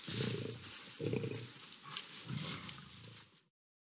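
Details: Wild lions fighting on a grassy field in Botswana, a lioness intervening between two males; deep rasping growls and snarls come in three surges about a second apart, with broad hissy noise above.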